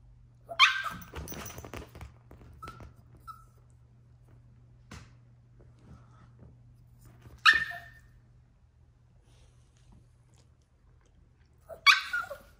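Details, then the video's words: Yorkshire Terrier puppy Troy in a tantrum, giving three shrill, abrupt barks spaced several seconds apart, with soft whines and small rustles between them over a constant low electrical hum inside a room. "Yorkie puppy throwing a tantrum."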